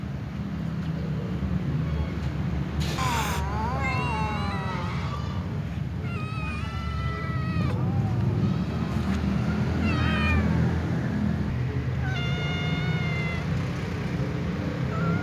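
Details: Ginger tom meows at a white female cat it likes, giving loud wavering, quavering calls with rich harmonics, drawn out in rising-and-falling bends and repeated every couple of seconds, with a sharp click and constant low traffic rumble.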